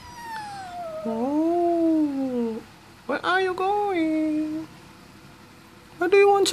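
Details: Domestic cat asking to go out, meowing indoors: a long, wavering, plaintive meow that rises and then falls, followed by a shorter bending meow and a sharp final cry, with a person's voice faintly mixed in.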